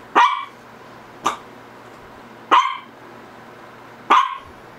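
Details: A Shih Tzu gives four crisp, high barks in under five seconds, roughly one per second, the second one lighter and thinner; a faint steady hum runs underneath.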